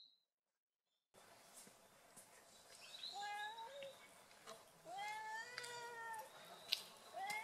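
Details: Cat crying in a cute voice: after a second of silence, a run of thin, high meows that bend upward and fall away, set against a steady rustling, noisy background.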